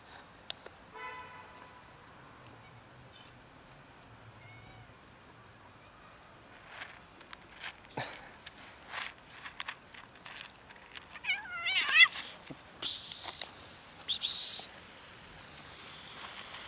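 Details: Fluffy kitten living on the street: a short harmonic meow near the start, later a wavering, bending mew, set among scattered rustling and handling noises with brief loud hissy bursts.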